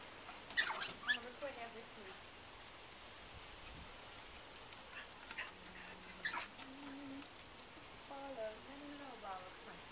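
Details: Tyger, a Yorkshire Terrier, watches airplanes in the sky and tries to attack them. He gives thin, rising, high whimpers in short bursts near the start, middle and end. Background noise throughout, and a person speaks nearby.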